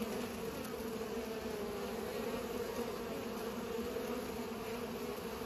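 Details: Bees busy pollinating give an unbroken, level buzzing drone with steady low harmonic bands and no other clear sounds.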